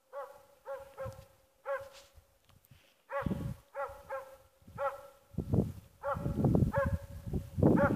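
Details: Playing on her own, the dog Ackers Åndorra (Schampoo) gives repeated arched, ringing yelps about every half second. Loud low thumps and scuffling grow toward the end.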